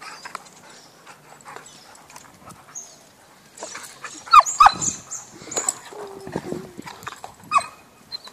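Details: At a dog park, chocolate Labrador Kiama plays with another dog, giving brief high yelps and whimpers. Quiet at first, then a cluster of sharp squeals near the middle, a low grumble, and one last yelp.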